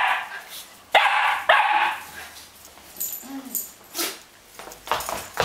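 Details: Löwchen dog playing, recorded in January 2008: two sharp, high barks in quick succession, then softer yips and huffs, with scuffling movement noise.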